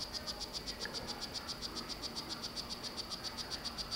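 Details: A Solarte-morph strawberry poison-dart frog male, kept in captivity, calls to court his mate. High, buzzy chirps repeat in a very even train, roughly four each second, over a quiet hiss.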